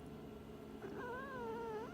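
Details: Indoor domestic cat talking back when asked to let her owner hear her, seeking attention: one drawn-out harmonic meow that rises, holds in a gentle wavering line, then lifts at the end, over a quiet room hum.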